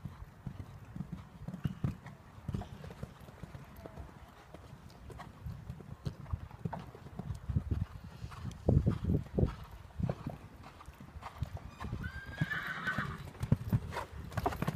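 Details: Mare's first show-jumping round at 90 cm, ridden clear: dull, uneven thudding hoofbeats on soft ground over a steady low rumble, with a brief brighter burst of sound near the end.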